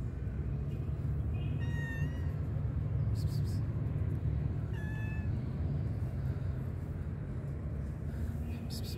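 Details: Tabby stray cat waiting for food in a park, giving two thin, high meows about three seconds apart over a steady low rumble of traffic and wind.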